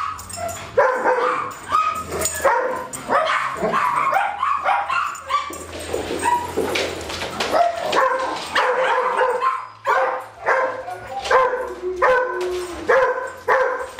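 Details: Four dogs, Darwin, Vader, Bars and Boudicca, at play on July 8 2010: a long stretch of rapid yapping barks, growls and whining yelps, bunched in irregular bursts, with scuffling noise and a low hum throughout.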